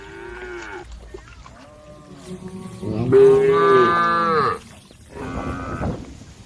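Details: A herd of cows on the road: after soft low lowing, one cow gives a loud, full moo of over a second while calling the herd, followed by a shorter, quieter moo.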